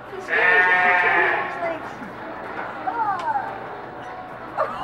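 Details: High, drawn-out harmonic squealing from newborn piglets at Reston Zoo, one of two litters born earlier that week, a strong squeal opening the recording and fainter sliding calls later, over excited human voices and laughter.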